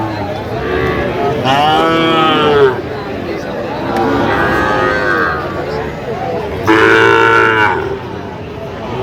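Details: Sahiwal bull calves at a Jamalpur cattle market, Bangladesh, on 31 August 2025. Two loud, rich moos, each about a second long and arching up then down, stand about five seconds apart over a background of steady talking.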